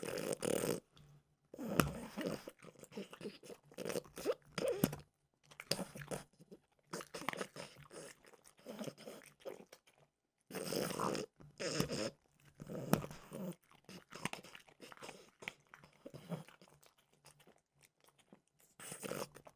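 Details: A French bulldog named Mimosa has a snack of peanut butter flavored dog treats, recorded as ASMR in a small room; repeated rounds of crunching and chomping with pauses between bites, loudest in bursts.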